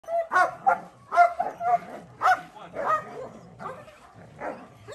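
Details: German Shepherd barking during training, a run of deep, rough barks about twice a second, fairly irregular, with no other clear sounds.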